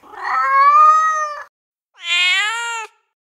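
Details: A female cat in heat calling for a male gives two long, loud, strained caterwauling cries, the first about a second and a half and slightly rising, the second higher and harsher, separated by a brief pause.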